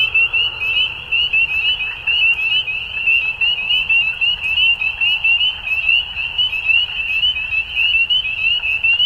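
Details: Frogs calling at dusk: a dense, continuous chorus of high-pitched, rapidly pulsed trills overlapping without pause, with rhythmic surges in loudness every second or so over a faint low rumble.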